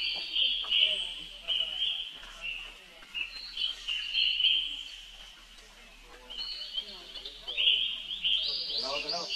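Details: Calling for help, a baby monkey gives a drawn-out series of high, whining screams with brief dips and pauses, over a murmur of lower background sounds.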